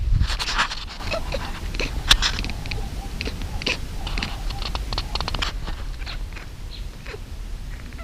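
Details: African wildcat kittens lying on a man's stomach in their enclosure chatter in quick, clicky bursts for about five seconds on seeing a bird fly by, then fall quiet, over low rumbling handling noise.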